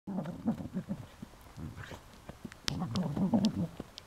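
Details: A female Cardigan Welsh Corgi, shown with her puppy, makes low, rumbling grumbles and growly vocal bursts in quick succession.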